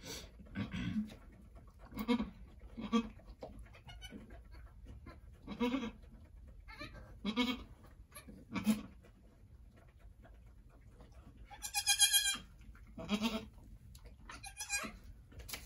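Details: Angora goat doe at Lost Goat Ranch, right before sunset on March 7, 2020, delivering two red buck kids, the farm's first births: short low throaty bleats repeated every second or two, one brief high harmonic bleat near the end.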